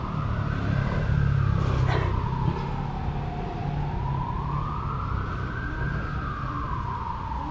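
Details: A wailing siren rises and falls slowly over constant traffic rumble, with no animal sound.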